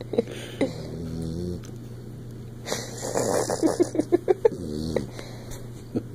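A Bluetick Coonhound snores in its sleep with raspy breaths and low, groaning tones.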